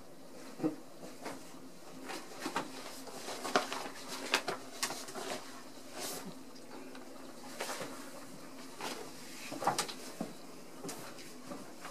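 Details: Scattered soft knocks, taps and thumps in a small room as ragdoll kittens explore a tub, with faint speech; no meows heard.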